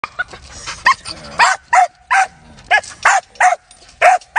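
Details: A 12-month-old Belgian Malinois during protection dog training, giving a series of short, sharp barks, roughly one every half second with brief pauses, fairly loud and close.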